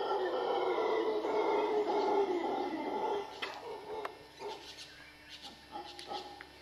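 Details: In western Costa Rica's dry jungle, howler monkeys roar loudly for about three seconds, then the sound drops away into scattered clicks, knocks and rustling.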